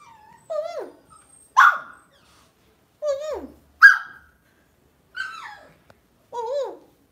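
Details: A pet Lhasa Apso dog gives six short, high-pitched vocalizations over about seven seconds. Falling, whine-like tonal yips alternate with sharper, brighter bark bursts, roughly one each second, against an otherwise quiet background.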